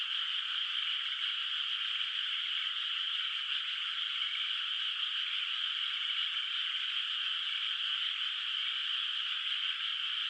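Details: Night chorus of frogs over a moonlit, still-unplanted rice field in the countryside, heard as a continuous high, even shimmer of overlapping calls with no pauses and no other sounds.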